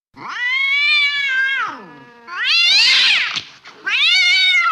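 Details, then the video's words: Angry cat letting out three loud, strained, high yowls, each wavering then sliding down, the middle one harsh and noisy, with short gaps between them. "suara kucing marah"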